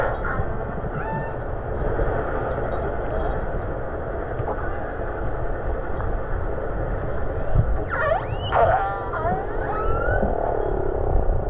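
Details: Killer whales herding herring into a baitball off Norway give brief squealing, upswept and falling whistles over a steady underwater rush, recorded while snorkelling.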